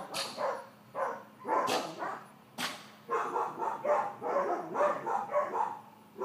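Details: Excited yapping from Georgia, a four-month-old female miniature dachshund in puppy leash training: a few spaced sharp barks, then a quicker string of tonal yips near two per second over a faint steady hum.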